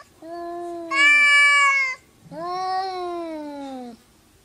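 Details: Two cats arguing trade drawn-out meows: a long wail that suddenly jumps higher partway through, then a second, lower, slowly falling moan of about one and a half seconds.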